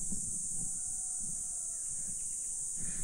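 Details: At a very quiet mountain spot, crickets and cicadas give a steady, high-pitched drone without pause beneath a man's voice, sometimes switching on and off and shifting in frequency.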